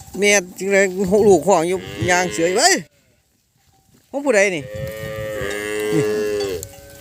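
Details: Calves that cannot find their mothers crying all together: wavering, quavering moos in quick succession, a sudden silent break of about a second, then a long sustained bawl.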